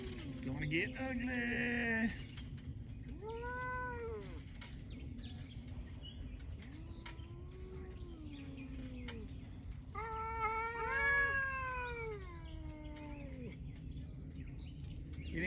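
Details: Cats talking, trading a series of meows: a harsh cry, then short arched mews, a low wavering moan, and a final longer chattering meow, spaced a few seconds apart over a constant low hum.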